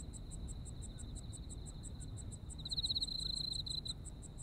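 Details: Autumn insects in Japan heard as a nostalgic night chorus: a steady high trill runs throughout, with a brighter pulsed burst near the end and rapid ticking pulses above, over a low rumble of background noise.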